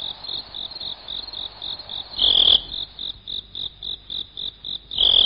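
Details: Cricket sound meant for scaring off rats and other pests: a steady train of short high chirps, about four per second, broken by two louder sustained trills.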